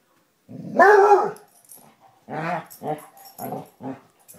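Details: Two Basset Hounds, Tracker and the new puppy Ranger, rough housing in play: one loud harmonic bark, then a run of short grumbling growls and yips.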